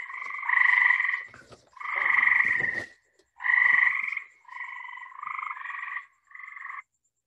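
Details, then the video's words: Night-calling gray treefrog from Long Island: clear, rapidly pulsed trills with a bright, slightly buzzy tone, three long bursts followed by shorter ones, each lasting about a second. "that's a really cool noise also to listen for at night because gray tree frogs will call at night"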